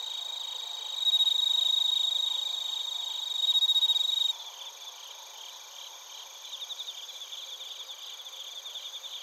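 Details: Crickets and bell crickets in Narita, Chiba, Japan, captured on a TASCAM Portacapture X8: a loud, pure ringing trill swells in twice over the first four seconds, then a softer bed of fast repeated chirps carries on.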